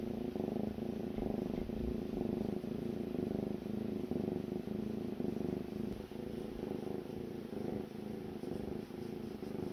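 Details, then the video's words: Daebong, a yard kitten, sleeps at dawn, its snoring loud enough to wake its owner each morning: a steady, low, rumbling drone with a fine pulsing texture that runs without pause through the whole stretch, no other sounds standing out. "새벽마다 날 깨우는 아기고양이 드르렁 드르렁 소리"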